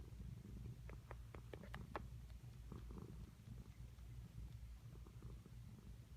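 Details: Domestic cat producing odd sucking noises, heard as a deep steady purr with a run of sharp wet clicks and smacks over the first two seconds, then softer clicking.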